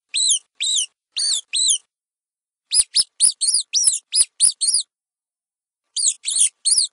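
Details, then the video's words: High-pitched mouse squeaks in three bursts: four spaced arched squeaks, then a rapid cluster of about nine sharp squeaks and clicks, then three more after a pause, with no other sound present. "Imágenes de Ratones y los sonidos que emiten"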